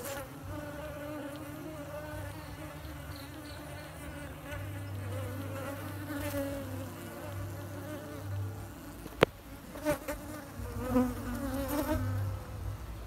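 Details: Bees at work building their hive inside a pot on a tree, droning in a continuous layered buzz that swells and wavers toward the end, broken by a sharp click at about nine seconds.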